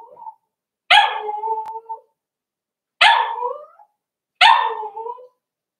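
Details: Playing Cavalier King Charles Spaniel puppies raised indoors give three high, harsh yapping barks, each dropping into a whiny drawn-out tail, spaced about one and a half seconds apart after a brief faint whine.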